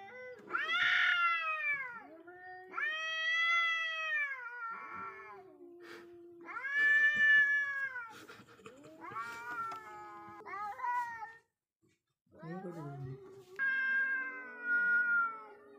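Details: Wild cats squaring off, with a series of loud arching howls, each a few seconds long, bending up and down in pitch, a short silent gap near the end, then a final strained yowl.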